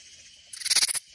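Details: Katydid in Hill Country near San Antonio, Texas, giving one brief scratchy rasp of about six rapid pulses, very high-pitched, over a faint steady insect hum.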